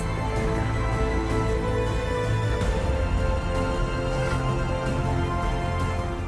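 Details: Dramatic, tense soundtrack music fills the whole stretch, with no animal sounds heard.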